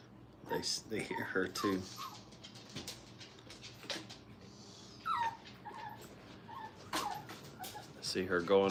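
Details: Brittany puppies in crate and tunnel training at a kennel give short, high, downward-sliding whines, scattered in brief bursts between human voices and indoor clatter.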